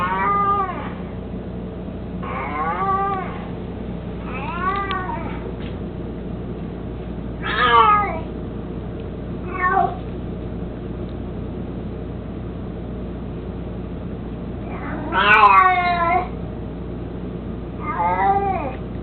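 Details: Indoors, Mico, an elderly 18-year-old cat, mostly blind and plump, who carries a toy mouse around, utters a series of short, bent meows of varying length and loudness, irregularly spaced, over a faint steady hum.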